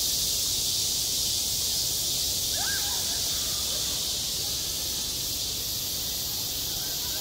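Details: Cicadas singing on a school playground in high summer: a dense, unbroken hissing drone fills the upper range, with a few faint chirps from other birds in the background.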